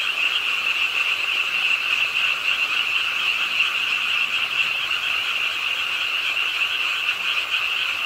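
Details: Frogs croaking at a pond side in Suwon's Ingye Art Park, South Korea, late on a rainy night; a dense, unbroken chorus of many overlapping high trilling croaks, steady throughout, with the hiss of rainfall underneath.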